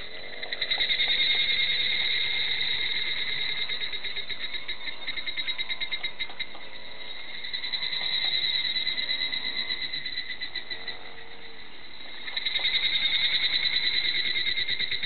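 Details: Clear-toned higurashi cicadas singing in Hakone forest: a high, rapidly pulsed ringing chorus, steady and continuous, swelling louder in waves and easing back between them.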